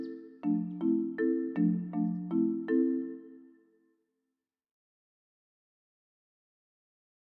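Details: A short run of bright, evenly spaced chime or mallet notes, like a ringtone, then silence. No animal voice can be heard.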